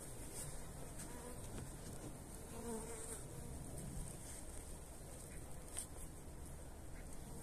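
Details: Honey bees at a hive on 29 January in very pleasant weather, being fed energy cakes; a steady low colony hum fills the recording, with a faint brief tonal buzz rising in the middle.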